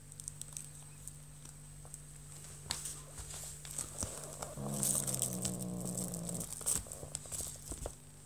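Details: A 5-month-old British Shorthair kitten gives a low, rumbling growl of about two seconds amid soft rustling while playing with a feather toy.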